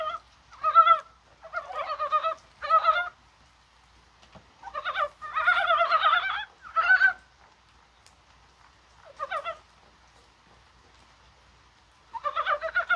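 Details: On a rainy, spring-like day, January 21, Dybowski's brown frogs give short, clucking, pulsed croaks in scattered bursts, with longer quiet stretches between them.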